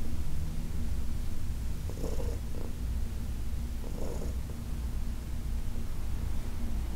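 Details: Senior cat Heidi, adopted from the Humane Society of New York City, purrs during a massage on August 4, 2021: a continuous deep, throbbing rumble, broken by brief rubbing sounds from the hands near two and four seconds.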